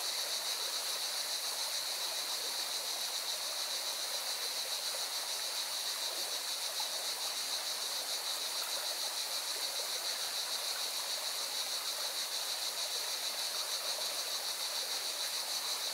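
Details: At a mountain river in Spain's Valencia region, cicadas keep up an unbroken shrill, metallic drone with quick rhythmic pulsing, while the loud hiss and rush of the river fills the lower range.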